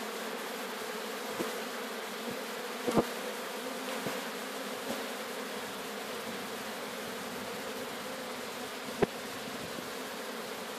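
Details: Sicilian honey bee swarm during capture near Sciacca: continuous droning buzz of many bees, even in loudness, with a few sharp clicks or knocks breaking through, one strong knock near the end.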